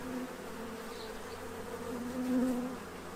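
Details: Central Illinois bees feeding to prepare for winter, a close buzzing hum with a steady low tone that brightens and swells toward the end as a bee passes nearby.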